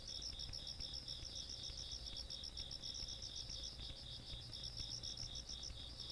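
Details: Insects calling on a countryside night, recorded 17 August 2022: rapid pulsed chirping high in pitch, with a steady higher trill layered beneath, continuous throughout over a low rumble of background noise.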